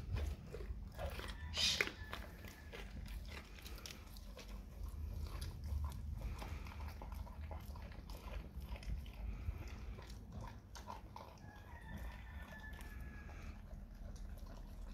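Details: Dog eating raw cow tongue indoors, with wet, irregular biting and crunching bursts scattered through the clip over a steady low hum, and one louder tearing crunch near the start.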